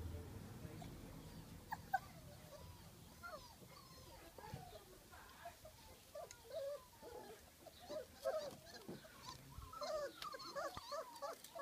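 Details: Three-week-old puppies of a dog named Honey exploring a garden at Easter 2019. They give many short, high, wavering whimpers and squeaks that overlap and repeat irregularly, with voices talking in the background.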